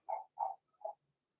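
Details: Blenheim Cavalier King Charles Spaniel puppy in a home pen, one of Remy's six pups. Three quick whimpering yelps fall within a single second, the last one softer and lower.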